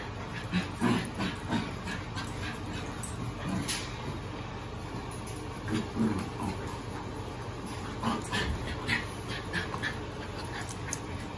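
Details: Puppies aged seven weeks, from Lola's litter, make scattered soft whimpers and brief yips among clicks and rustling, with a constant hiss throughout.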